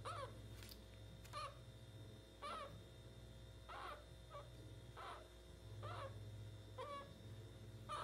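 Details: A pet meerkat gives short, harsh, squeaky chirps about once a second over a steady low hum while having its belly rubbed.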